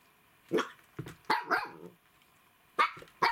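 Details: Siberian huskies, the father Dartanyan with his two puppy daughters Marta and Aliska: short yelping barks and whiny vocal bursts, about six in three seconds, over a steady low electrical hum.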